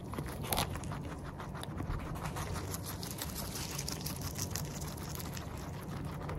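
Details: Eating guinea pig heard up close: busy, crackly chewing with closely packed crunches and a brief louder burst near the start, set against a low continuous hum.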